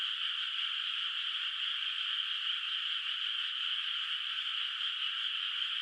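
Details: Distant frogs in a rice field at night under moonlight, before rice planting. A thick, unbroken chorus forms a bright, buzzing drone with a faint flicker of individual voices inside it.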